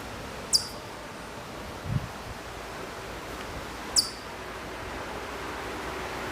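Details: Hokkaido chipmunk calling from far away at Maruyama, Sapporo, Hokkaido, Japan, September 2014: two sharp, very high, downward-sliding chips about three seconds apart. A soft low thud and a steady outdoor hiss are also heard.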